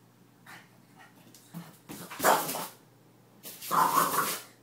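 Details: Indoor French Bulldog that dislikes the mop voicing complaints while the floor is mopped: two strong, hoarse, wavering bark-howls, each about a second long, preceded by soft grumbles.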